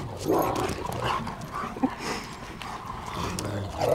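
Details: Playing Great Pyrenees mix dogs, several animals with a Great Pyrenees mother, make rough growls and short yips in bursts, mixed with scuffling and movement noise.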